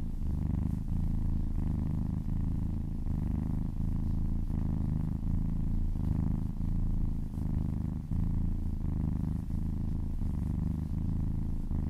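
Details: Kitten purring contentedly during a massage, recorded up close for ASMR; rich low rumbling that swells and dips with its breathing roughly every 0.8 seconds, continuous throughout.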